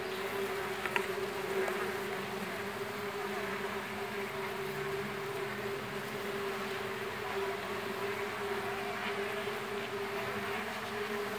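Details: Very populous Mandaçaia stingless bee colony with enormous brood discs, heard while being divided into two colonies: a dense, steady low hum with a strong tone throughout, plus faint rustling and a soft knock near the start.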